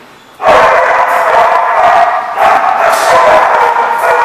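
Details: Dogs at The Barking Lot, recorded 16 January 2015: a dense, continuous chorus of many overlapping barks and yips starting abruptly after half a second and filling the rest of the recording with loud, sharp bursts.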